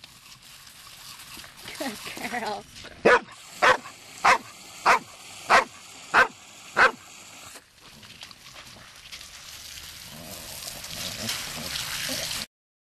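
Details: Female Labrador Retriever barking to demand water from a garden hose on a warm day after agility. Seven sharp, evenly spaced barks about every 0.6 seconds, followed by steady hissing noise.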